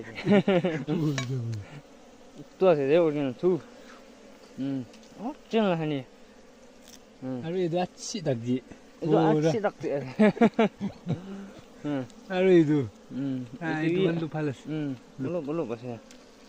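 Honey bees buzz in bursts as they fly close past, their droning hum wavering in pitch.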